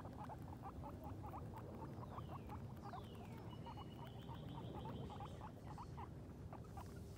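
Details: Outdoors for the first time, two female guinea pigs named Sheik and Penny explore and eat grass, uttering fast repeated clicking chutters, punctuated by descending whistle sweeps, against a steady low background hum.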